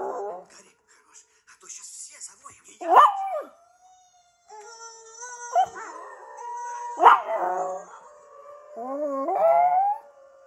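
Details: A German Shepherd howls along with timber wolf howls from Zootopia, long sliding tonal notes with one voice answering another.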